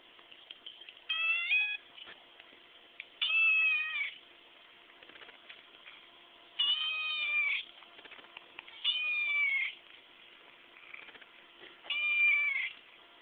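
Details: A 4-month-old chocolate point Siamese kitten gives a series of drawn-out, nasal meows at irregular intervals, purring and talking back to its owner.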